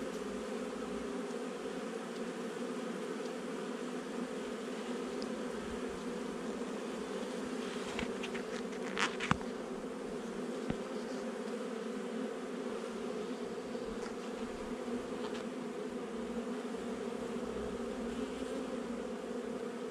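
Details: Honey bee colony in a nuc installed just over a month before, inspected 8 July 2020: an unbroken deep buzzing of many bees, interrupted midway by a few sharp knocks and clicks from handling.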